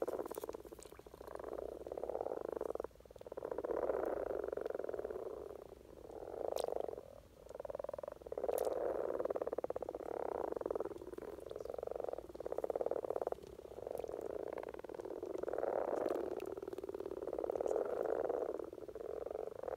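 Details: Courting common frogs calling in Norwegian spring, a steady chorus of soft, rattling purrs in repeated bursts of one to three seconds separated by short pauses, with scattered faint ticks and splashes.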